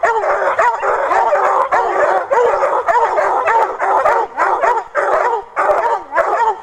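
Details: Redbone Coonhounds, three littermate pups, treeing on a caged raccoon: rapid chopping bawls and barks about every half second, overlapping voices with rising-falling yelps.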